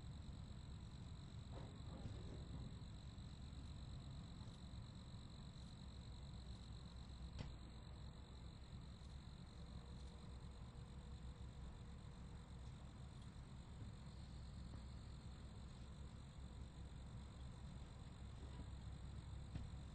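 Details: A continuous shrill cricket chorus forming an even, ringing tone that never pauses, set against heavy low-frequency rumble and a few faint clicks.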